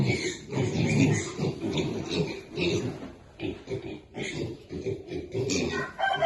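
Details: Baby pigs feeding, giving a near-continuous stream of rough low grunts and snuffles with brief higher squeaky notes, pulsing roughly every half second, while people talk faintly in the background.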